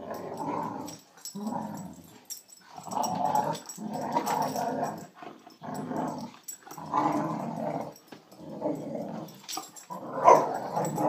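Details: Bonita, a female Boxer, bullying Scrubby, a border collie, in play to show who's boss. Deep rumbling growls come in bursts of about a second, separated by short gaps, with one sharper snarl near the end.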